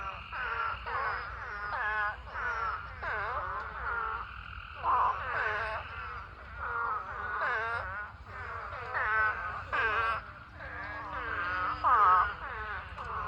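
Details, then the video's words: Thousands of spadefoot toads in a mating swarm fill a pond with a dense chorus of overlapping, wavering, moaning bleats, each about a second long, rising and falling in pitch without pause. "Huge Spadefoot Toad Mating Swarm Pond Full of Thousands of Toads"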